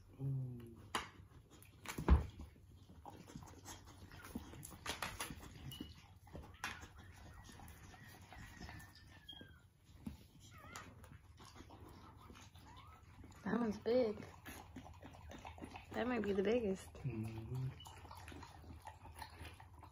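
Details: Pit Bull, described as a Pitbull/Bully, giving birth to her first litter indoors; mostly quiet with scattered clicks and rustling, then two clusters of wavering, harmonic whimpers in the last seconds, with faint human voices.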